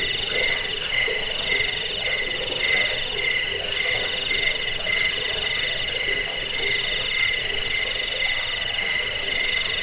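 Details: Crickets (jangkrik) played to drive away rats, lull people to sleep and train songbirds: a dense, steady chorus of high pulsed trills at several stacked pitches, the top tone chirping about four times a second without pause.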